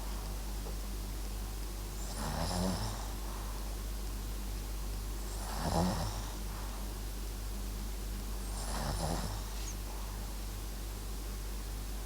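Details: Sleeping Papillon–Japanese Chin mix called MAX snoring: three evenly spaced snorts about three seconds apart, each a throaty low rasp topped by airy hiss, with a constant low background hum.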